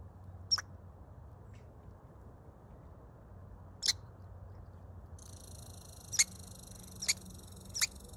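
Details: A baby squirrel happily eating gives brief, sharp high squeaks spaced a few seconds apart, over a faint low hum.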